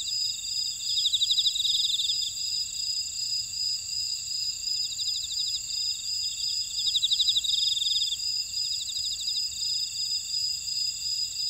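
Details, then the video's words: Chorus of grass insects in a Jeju buckwheat field, Ora-dong, South Korea: constant shrill ringing bands with bursts of rapid ticking trills around one and seven seconds, otherwise an even high hum. "제주 메밀밭의 풀벌레 소리"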